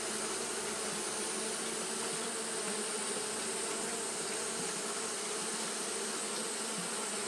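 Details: Steady wing-fanning drone from Japanese honey bees on a hot day: an unbroken, even buzzing hum of many bees, low and rich, with no pauses or rises.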